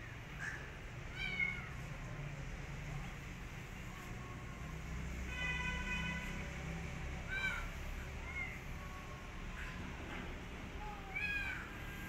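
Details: Rescued street kitten that wants to return outside and refuses food gives a few faint arched meows spread across the recording, with a low steady hum and a brief harmonic tone midway.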